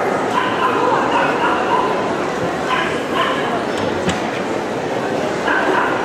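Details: Boerboel Nikita, a 10-month-old guard dog never trained for protection, reacting protectively in the show ring at CACIB Kyiv on 04/09/2016; repeated barks in bursts over loud indoor crowd chatter and hall noise.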